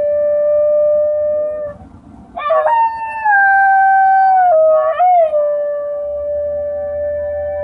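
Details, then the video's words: Basenji dog imitating a tornado siren with sustained howls: a steady mid-pitched tone, a short break, then a higher wavering onset that slowly slides downward, a second catch, and a level drawn-out note to the end. "Basenji tornado siren"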